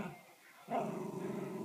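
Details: A Miniature Schnauzer breaks into a sustained, throaty growling grumble, throwing a fit at being refused chicken.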